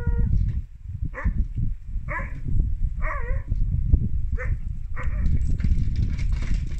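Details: Siberian Husky puppy Drwg at a Welsh sled dog centre, woo-wooing to invite his big sister to play zoomies; short wavering harmonic vocal bursts about once a second over heavy rumbling scuffling and movement noise.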